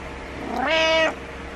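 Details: One clear, steady meow rising then holding, from Butters, a pet cat demanding his owner get out of bed in the morning; he does not like being alone.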